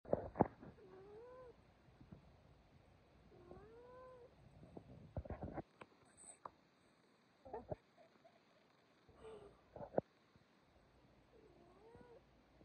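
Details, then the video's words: A male pet cat meows to hurry its owner to go to sleep. Soft, short, arching meows come every few seconds in a quiet room, along with faint taps and rustles. "Cute cat meowing for his owner to go to bed"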